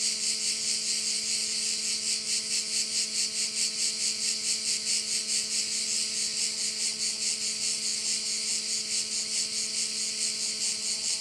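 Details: Crickets sounding beside a Korčula bay in Croatia, their high rasping chorus pulsing about 140 times a minute over a steady low mechanical hum that lasts throughout.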